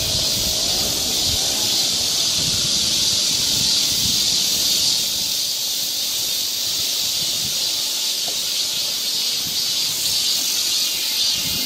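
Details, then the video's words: In a Korean summer forest near Seoul, cicadas keep up an unbroken, sizzling high drone, while soft rustling and low thumps, like footsteps on the trail, come and go beneath it. "cicada sound"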